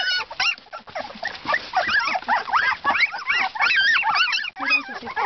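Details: Siberian Husky puppies aged two weeks produce a busy tangle of thin, wavering squeaks and yips, overlapping rapidly with little gap, sounding like a noisy litter.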